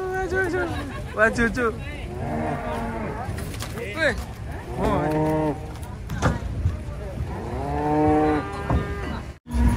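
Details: Large cattle being unloaded from trucks; loud, repeated bellowing moos with rich harmonics from more than one animal, some rising and falling, over background rumble.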